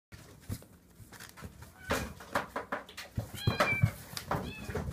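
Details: Kitten fighting a plush toy: soft thumps and scuffling, then two or three short, high, bending mews near the end.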